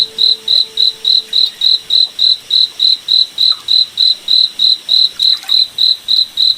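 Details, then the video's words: Crickets at night in a moonlit forest: a steady train of short, bright, high chirps, about three and a half per second, evenly spaced and unbroken, over a faint background hiss. "Cricket Night Forest Ambience"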